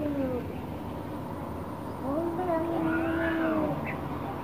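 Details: Orange cat angry at a black cat, giving faint drawn-out wavering yowls that rise and fall, with a louder, higher wail in the second half over steady background hiss.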